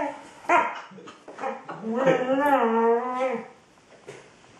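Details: Pet female Border Collie talking to her ball indoors: brief grumbling yips, then a drawn-out wavering whine-howl lasting about a second and a half, fading out.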